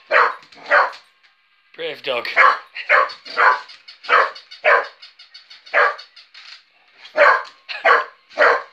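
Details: An adult female working English Cocker Spaniel barks in sharp, uneven bursts, sometimes singly and sometimes in quick pairs, at a battery-powered moving toy puppy.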